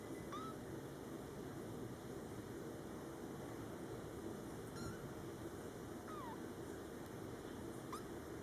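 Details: Four short, high-pitched squeaky mews, some sliding downward, come every two seconds or so from month-old Scottish Fold kittens born July 22, 2012, kept indoors with their mother Coco, over a constant low household hum.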